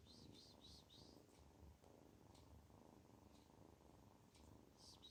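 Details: Kitten that feels good purrs continuously in a soft, throbbing low rumble; quick high-pitched bird chirps sound at the start and again at the close.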